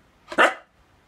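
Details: Single short, loud bark from a Siberian Husky protesting in a small room while its owner scolds it over a secretly eaten shrimp cutlet.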